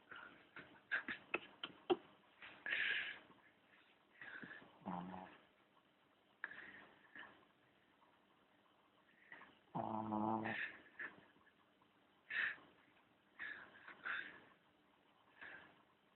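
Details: Charlie, a sleeping dog, snores in uneven bursts of wheezy, snorting breaths with gaps of quiet between them; one long, deep, rattling snore stands out midway, and soft clicks are heard near the start in a quiet room.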